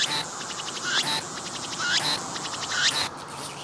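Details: Cicada singing near the recorder on a tree, pumping its abdomen; quieter repeated phrases about once per second, a rapid pulsed buzz rising into a short whistled upsweep, over faint background hiss.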